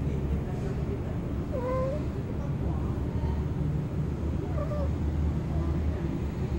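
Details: Cats calling during mating under a car: two short, wavering, nasal yowls with clear overtones, about three seconds apart, set against a steady low rumble of background noise.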